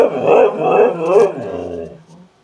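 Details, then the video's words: Pet Siberian Husky talking back, upset about its owner going to work: a loud, wavering, yodel-like woo-woo with rising and falling pitch, trailing off into a low grumble. "the Husky Talking"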